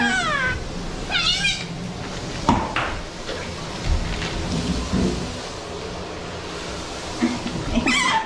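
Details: Asian small-clawed otter eating in an aquarium in Ise, Japan, gives two high, harmonic, downward-sliding squeals near the start and another at the end, with splashing, handling noises and faint voices in between.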